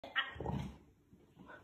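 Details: Big Boerboel mastiff wanting to play; a sharp high yelp opens, followed by lower rough growling barks, then a faint whine, with a person talking and laughing nearby.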